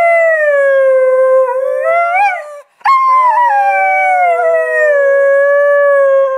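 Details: Pet Husky Delta howling on 25 Nov 2010, coaxed by her owner's sounds; a long smooth howl bends upward into a wobble, breaks off briefly, then resumes and drifts down to a steady held tone.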